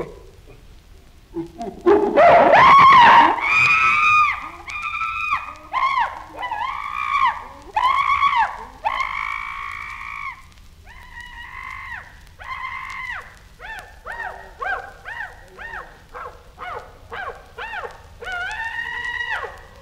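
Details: Chimpanzee scream: a sudden loud, harsh outburst, followed by a long series of tonal, wavering screams that rise and fall, gradually becoming shorter and more rapidly repeated toward the end.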